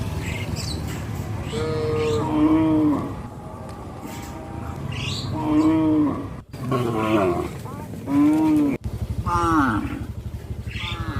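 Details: Walking cattle herd bound for a field, several cows calling with repeated long moos that dip in pitch, some overlapping, against a persistent low rumble and faint voices.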